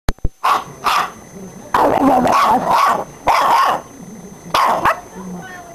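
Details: Pit bull puppy playing with a person, giving short rough barks and growly yips in bursts about a second apart, with a man's voice talking over the play.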